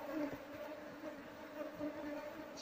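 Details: Faint, even hum of a wild Asian honey bee (Apis cerana) colony during hive harvesting, a steady low drone with a higher overtone and light background rustling.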